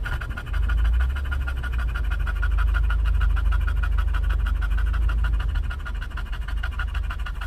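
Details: English bulldog in a vehicle at a Starbucks drive-thru in California, there for a pup cup, pants hard and fast. Rapid rhythmic breathy bursts continue throughout with a strong low engine drone.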